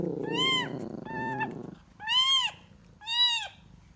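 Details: Kitten calling for its mother: four arched, tonal mews, the first two shorter and overlapping a low rumbling murmur, the last two louder and clearer, spaced roughly a second apart.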